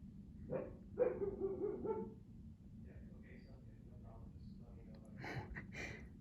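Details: Siberian Husky Juno, seldom heard barking, lets out a cluster of quick barks early on, then quieter gaps and two more bursts near the end, outdoors in cold wind with a low constant rumble.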